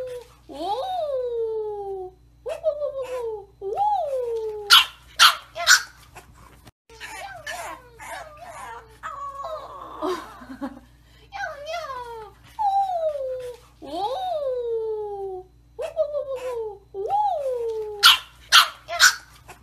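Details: Persistent puppy crying from a bulldog: bursts of falling, nasal whines repeated about twice a second in runs, interrupted by sharp bark pairs and a brief scuffle, over a low steady hum.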